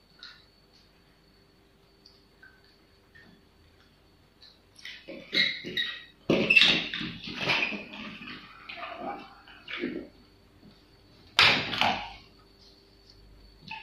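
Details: Pomeranian puppy named Honey, in the care of a pet sitter: near-silence for about five seconds, then a run of shrill, irregular yapping bursts for around five seconds, a short gap, and one last sharp high yelp near the end.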